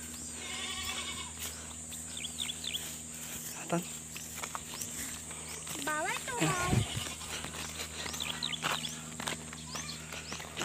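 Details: Pregnant goats on a farm give a few wavering, harmonic bleats, one short burst early and a louder, quavering bleat in the middle, while a man talks in Tagalog over a steady background hum.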